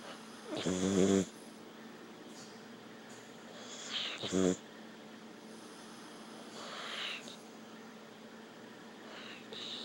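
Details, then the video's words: Dog snores twice, about three and a half seconds apart, each a short harsh rattling breath; softer breathy sounds follow in a quiet indoor setting. "snoring dog"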